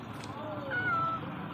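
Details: Cat with a wound near its neck, brought in and cared for; one thin, drawn-out meow that holds steady and then falls slightly, over a low background rumble with distant noise.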